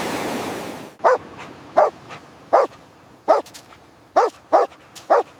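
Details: A dog barks insistently on a beach at something lying on the sand, a stranded young dolphin. A second of rushing surf, then seven short, sharp barks at irregular intervals of under a second, with steady background wash.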